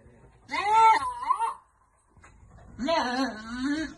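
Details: Goats at a farm being given vitamins: a short, quavering bleat, a brief silence, then a longer, lower, wavering bleat that holds steady before fading.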